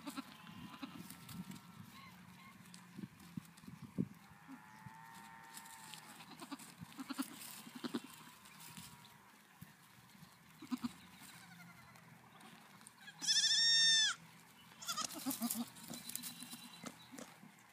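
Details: Nigerian Dwarf goat kids at KW Farms, Wapato, Washington, 8 May 2017; several drawn-out wavering bleats, with a loud sharp burst of noise near the thirteen-second mark and steady barnyard clatter.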